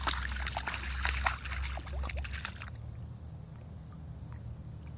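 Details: Outdoors, muddy water sloshes and trickles loudly for about three seconds, then quiets to a low rumble, with no animal voice.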